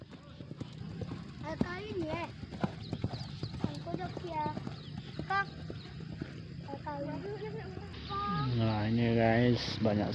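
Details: Racehorses training at the H.M. Hasan Gayo racecourse in Takengon before the Gayo Derby 2023; a stacked-harmonic neigh near the end, with hoof clip-clops throughout and a man's speech over it.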